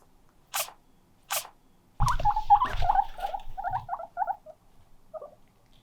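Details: Guinea pig heard indoors, calling loudly and sneezing. Two sharp, short bursts come first, then a run of quick squeaks mixed with rustling and thumps, fading to a few soft squeaks.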